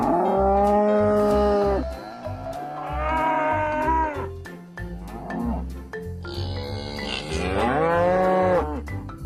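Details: Three separate cattle moos, each one to two seconds long, the last one higher and more strained, with a beat-driven music track running underneath throughout.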